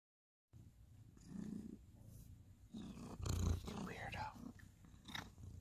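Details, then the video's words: Ginger cat Sir Salmon purring while grooming and nipping at housemate Abby Tabby, recorded November 2020 indoors; low rumbling purr pulses throughout, with a woman's laughing voice and rustling over the top. "cute ginger cat purring funny"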